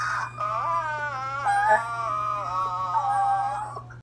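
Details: Dachshund howling along with its owner over the phone, singing Minnie Riperton's "Lovin You" while missing him; a sustained, wavering howl rich in harmonics, holding a steady pitch with small wobbles, with a constant low hum in a small room.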